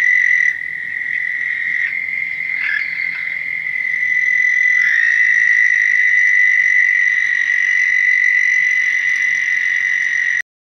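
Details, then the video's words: American Toad calling in an Ontario flooded pool during its mid April to late May breeding season: a sustained, high, even trill that runs unbroken for about ten seconds, briefly overlapped by another caller near the start. "the American toad breeds from mid April up into late May and can be heard in many flooded pools in the area"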